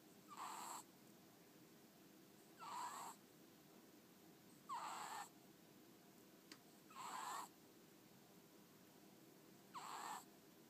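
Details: Pet ferret named Ten-chan fast asleep with half-open eyes and tongue flicking, snoring: short breathy wheezing snores with a whistly tone repeating about every two and a half seconds, quiet room between breaths.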